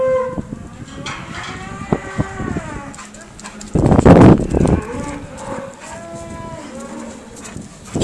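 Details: Cow heard with a Rhodesian Ridgeback nearby: short lowing calls, then a sudden loud burst at the midpoint, followed by a steadier moo that falls away at the end.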